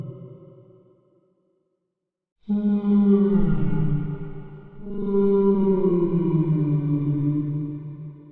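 A whale gives long, low moaning calls that bend downward, rich in overtones.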